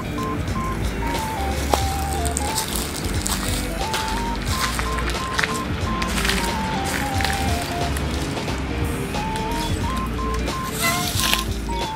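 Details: Background music with a plucked melody over rolling, rattling noise and faint speech; no animal call stands out.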